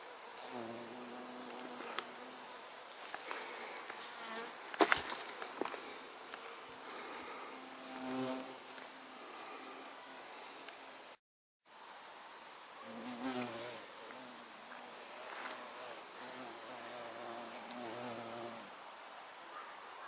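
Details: Violet carpenter bee (Xylocopa violacea) recorded on 24 September 2024, giving a low droning buzz with stacked harmonic bands that swell and fade as it passes, several bursts over twenty seconds, with a few clicks and handling knocks.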